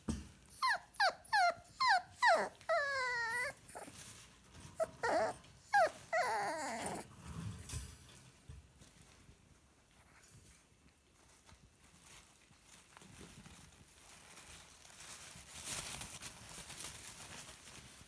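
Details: Five-week-old Scottish Terrier puppy whining because she wants to meet the visitor. A quick run of high, sharply falling whimpers, about a dozen in the first seven seconds, is followed by quiet indoor room noise.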